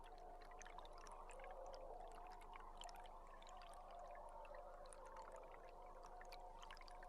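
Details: Belugas heard underwater from a live boat camera on July 16: dense crackling clicks and faint high chirps and whistles scattered through the clip, over a steady underwater hiss.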